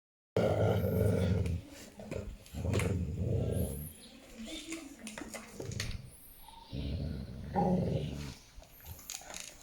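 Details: A dog in Thailand giving low, rough growling rumbles in bursts of one to two seconds, separated by quieter pauses, with a few faint higher whining tones in between.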